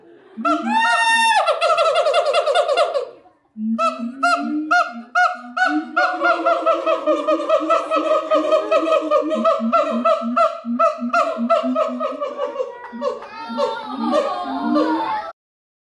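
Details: Siamangs singing at the Los Angeles Zoo in California: loud, rapidly repeated whoops and rising barks layered in a dense chorus, with a short pause near three seconds before the calling resumes and builds again.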